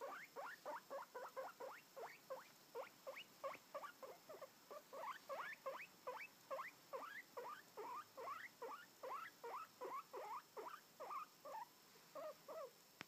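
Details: Albino guinea pig squeaking steadily, a long fast series of short upward-sweeping squeaks, roughly two or more per second, with no other sounds.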